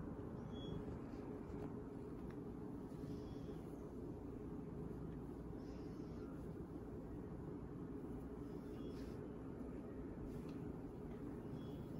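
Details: A steady, low, engine-like rumble fills the recording with no clear animal voice. Only faint scattered clicks rise above the dull background noise.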